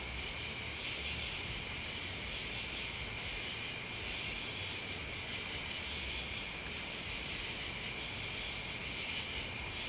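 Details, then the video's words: Crickets and other bugs in a dense, continuous high-pitched trilling chorus that holds steady for the whole stretch, layered over a low, rumbling background of wind or engine noise. "Listening to Crickets and Bugs"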